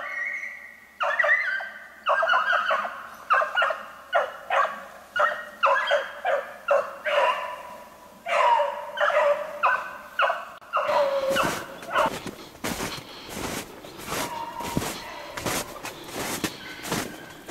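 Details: Pack of Beagles on the trail of a snowshoe hare, recorded 3/8/16: steady run of harmonic baying barks, roughly one or two per second, for ten seconds. Loud broadband clattering and rustling follow.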